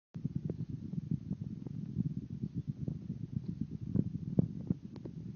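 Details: Oscar, a Miniature Dachshund puppy, snoring while asleep and dreaming: low, rough, rattling breaths with soft irregular clicks, steady throughout in a quiet room.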